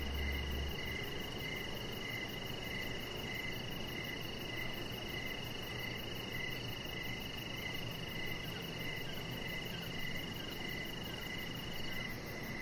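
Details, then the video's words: High-pitched cricket chirps pulse steadily, about three per second, on an evening deck outdoors. A constant shrill tone sits above them, with a soft low thud at the start and steady background noise. "Chihuahua Puppy Laying On Deck with Cricket Sounds"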